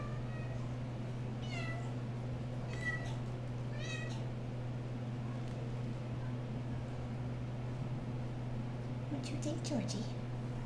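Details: RagaMuffin kittens, 8.5 weeks old, from a litter just moved into a kitten room, playing indoors; three short meows with bright stacked harmonics, rising then falling, about a second apart, followed by a woman talking over a steady low hum.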